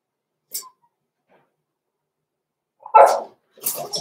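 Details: Six-week-old blenheim Cavalier King Charles Spaniel puppies, Roman and Blue, born November 14, 2022, in their indoor puppy pen: a faint short squeak early on, then after a pause a louder sharp puppy bark followed by a second rougher burst.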